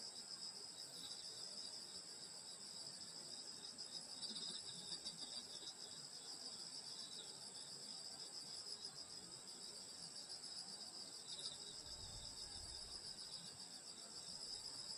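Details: Summer night in the countryside near a grandmother's house, where insects keep up a continuous high-pitched ringing drone of layered trills, even and unbroken throughout, with a soft low rumble partway through.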